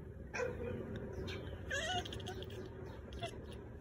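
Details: Maine Coon cat (Felis catus), chirp.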